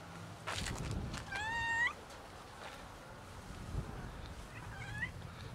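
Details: A female domestic cat reacting to being touched, giving a clear rising-then-falling meow, followed by a softer, shorter wavering meow a few seconds later over quiet background noise.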